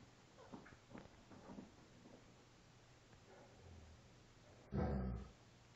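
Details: Five-week-old female Alaskan Malamute pup playing with her father; faint, short whimpering yips repeat in quick bursts through the first two seconds, fading softly, then a single loud thump just before the end.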